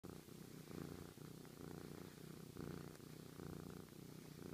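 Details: Sochi, a very friendly pet cat, purring to show his love: a steady low rumble, pulsing in slow waves a little over once per second, with faint rustling in a quiet room.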